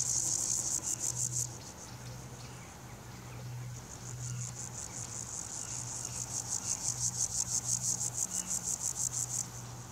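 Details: Grasshopper stridulating by rubbing hind legs against the forewing edges, filmed with a Nikon P900 and Raynox DCR-250 macro attachment; a high, rapidly pulsed rasping buzz in two bursts, the second long and strongly ticking, over a low steady hum.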